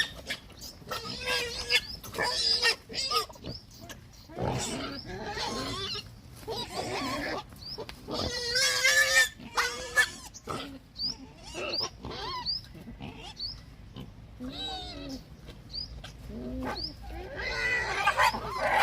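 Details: Hungry pigs calling: a dense, continuous mix of short grunts and piercing squeals, some with a steady tonal pitch, overlapping many times per second with no clear pause.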